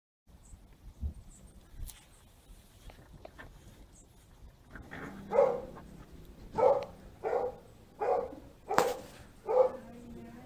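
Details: Quiet stretch with scattered clicks and rustles gives way to a dog barking about six times in the second half, mid-pitched and evenly spaced, against low background noise.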